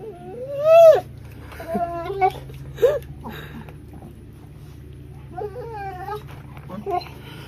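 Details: Broley, a talkative house dog, complaining at his owner with whiny yowls: a loud rising-then-falling whine at the start, then a series of shorter bent, wavering whines spaced over several seconds in a small room.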